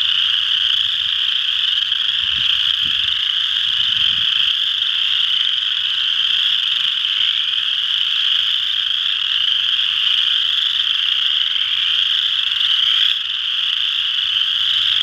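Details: Many western chorus frogs at Ojibway Park, Windsor, Ontario, trilling in a constant high-pitched chorus; a few low thumps sound early on, and the chorus dips briefly near the end.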